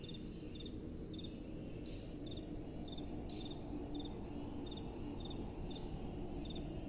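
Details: Crickets at night with gentle wind: faint, high, pulsed chirps repeat at a steady pace, about two per second, above a constant low rumble of soft wind.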